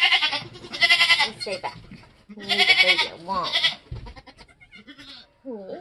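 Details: During a Nigerian Dwarf goat birth on a homestead in kidding season, two loud, harsh, strained bleats sound about two seconds apart. Quieter voices and shuffling follow.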